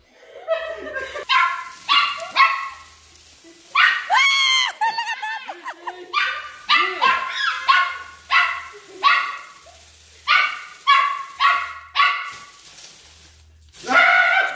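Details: Chihuahua going after a flying toy bird, barking loudly and persistently: high, sharp yaps come in quick volleys of two or three, some drawn into whiny wavering notes, with short pauses between bursts.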